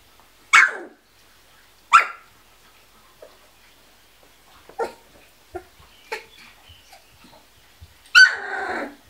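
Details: Kuvasz puppies aged 16 days give three short, sharp, high yelps, one near the start, one two seconds later and a longer one near the end, with soft scattered clicks and rustles between.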